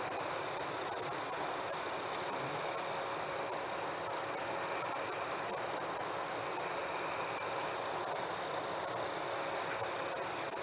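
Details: Chorus of chirping crickets on a warm summer night, a shrill unbroken trill with sharp higher chirps pulsing about twice a second, set against a steady background hiss.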